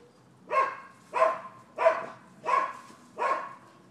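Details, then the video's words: Neighbourhood dogs, dated 12/7/15, giving a steady series of five harsh barks spaced roughly two-thirds of a second apart, evenly loud and rhythmic, with little else audible. "Barking Dogs"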